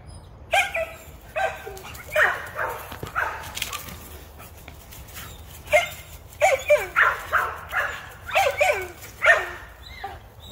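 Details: American Pit Bull Terrier barking while out hunting rabbits, a rapid run of sharp, repeated barks and yelps in irregular bursts, with some mixed in higher whimpering tones; occasional human speech in the background.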